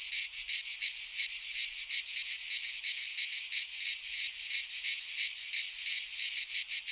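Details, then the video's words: In a Greek pine forest at midsummer, cicadas keep up a loud, sizzling high drone, its pulses coming fairly evenly about three per second, with no birds or voices. "Cicadas singing in midsummer"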